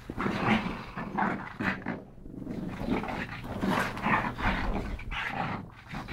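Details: Two pug brothers, Yogi and Mister, rescued from an SPCA shelter in Malta, wrestling in play: bursts of snorting, rough growly grunts and huffing breaths come in uneven pulses, with a brief quieter pause midway.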